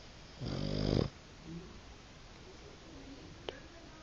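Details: Boston Terrier fast asleep and blowing bubbles, giving one loud, raspy snore of about half a second that swells before stopping, followed by a soft wheezy breath, a quiet indoor background and a single sharp click.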